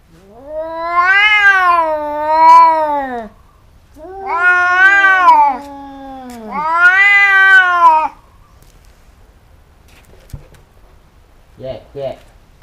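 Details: A pair of cats fighting and biting each other repeatedly, giving three long moaning yowls that swell and fall in pitch, followed by quiet and a brief hiss-like rasp.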